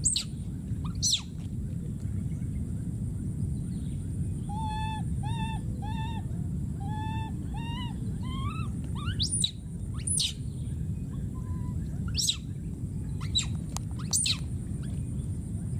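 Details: A wild baby monkey calling for his friend: a long series of short, evenly repeated tonal coos with slight upward inflections, followed by scattered sharp, high screams, over a persistent low background rumble.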